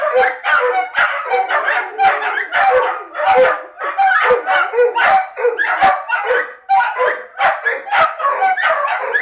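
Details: Several dogs howling and yipping together while their owner makes a short trip to the shop without them, described as separation anxiety; overlapping wavering howls and sharp yips in a dense, continuous chorus.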